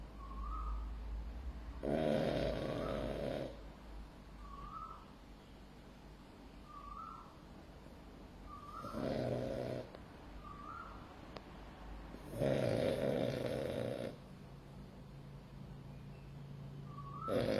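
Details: A sleeping male French Bulldog snores in long rasping breaths, each lasting about one and a half seconds and coming every few seconds, with softer wheezy whistles between them against a low steady hum.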